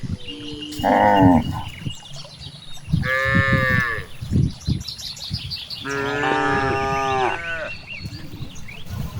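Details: Grazing cows in a big rice field moo three times, the calls wavering and slightly rising, separated by rustling and soft thuds, with faint birds chirping and a thin steady high tone behind.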